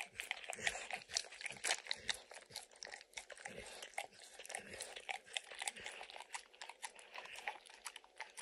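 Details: Close-up of Max the dog licking peanut butter and chewing kibble off an orange mat, giving a steady stream of smacking licks and crunchy chews, louder bursts every second or so.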